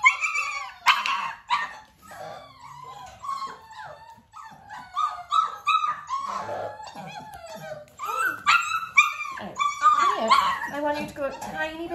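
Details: Nearly six-week-old Dalmatian puppies at clicker training alongside their mother Arya: busy, high squeals and sharp little yips tumbling over one another, growing louder and denser toward the end.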